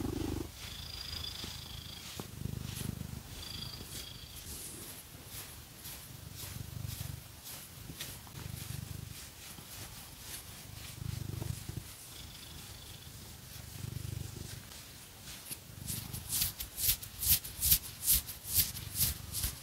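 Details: Purring pet cat named Phoenix under a fake-nail scratching massage: low rumble rising and falling in long breaths about every two seconds, with light scratching and faint high tones, then rapid loud scratching strokes near the end.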